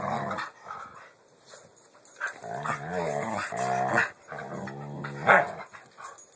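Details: Pit bulls growling while playing, recorded on an Android phone: repeated wavering, rising and falling growls in several bursts, with a sharp yelp-like peak near the end.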